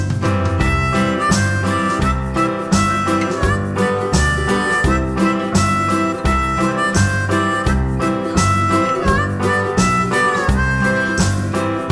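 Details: Loud bluesy harmonica melody over strummed guitar and a steady rhythmic beat, with no animal voices.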